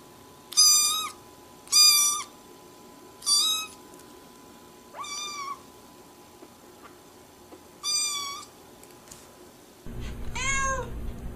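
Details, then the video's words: Cats at play and fighting; a series of six short, flat, high meows roughly every one to two seconds, then a final longer wavering cry over a burst of low rumbling noise. "Beautiful cats are playing and making sounds"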